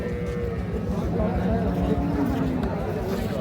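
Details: Cattle at the Ambari cattle market in Parbatipur, Dinajpur, Bangladesh, on 10/3/26, where cows with calves are traded: a low, drawn-out moo that rises and sags across several seconds, under steady crowd chatter and bargaining voices.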